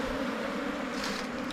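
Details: Asian honey bees in Thailand swarming and moving into a new hive box; a dense, steady low buzzing hum fills the whole moment.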